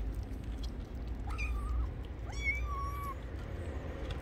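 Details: Stray kitten, apparently hungry, meowing twice: each call sweeps up sharply and then holds a long, level, slightly falling tone. Steady low background rumble underneath.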